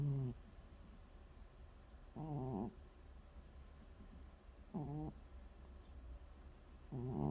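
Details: A relaxed domestic cat snores at night, giving short, rough, rattling bursts with a low, gravelly tone, spaced about two to three seconds apart, with a faint background hum between them.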